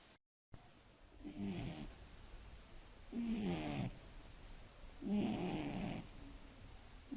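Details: Female Scottish Fold cat with slightly folded ears, snoring loudly at midnight close to a sleeper's ear; deep snuffling snores in three long bursts roughly every two seconds, each with a rough rasping edge.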